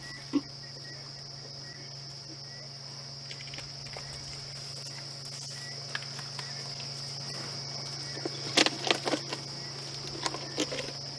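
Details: Cicadas starting to call in the distance on a peaceful evening during a sunset safari drive in South Africa, 29 September 2016. A steady, unbroken high whine is heard over a low engine hum, with scattered clicks and knocks.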